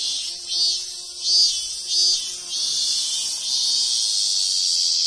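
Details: Robust cicadas (Hyalessa maculaticollis) sing from a sacred tree in the hills of Ehime Prefecture, Japan: a loud, high, hissing drone that swells in brief pulses.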